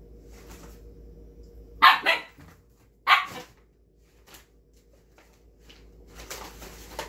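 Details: Kai, a dark red Siberian Husky puppy, barks while trying to get a bag of snacks indoors: a double bark near two seconds, a single sharp bark at three seconds, then quieter rustling and shuffling sounds.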